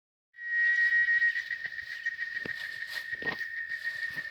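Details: Chicharras, cicadas, in Oaxaca, Mexico: after a brief silence a loud, steady, high buzzing drone starts and holds at one even pitch, with faint crackles and rustles in the background.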